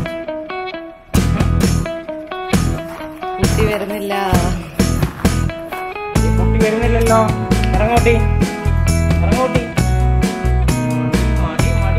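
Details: Loud guitar-led blues music with a steady beat plays throughout, with some speech mixed in and no animal voice.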